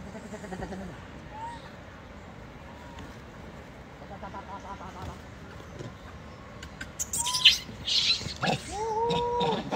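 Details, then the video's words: Wild baby macaque crying loudly while bullied by its mother: after a quiet start with a few faint short whistles, a loud harmonic wail rises, holds level and falls near the end, mixed with rustling and crackling noise. "The baby monkey was bullied by the mother monkey and cried loudly"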